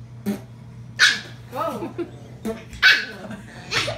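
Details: A puppy keeps trying to bite a man's beard, giving two sharp, high yipping barks about two seconds apart, with a man's voice speaking between them.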